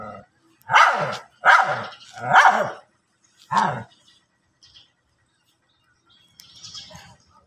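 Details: Dogs fighting on grass, with four loud rough barks about one second apart, then quiet except a brief high hissing sound near the end.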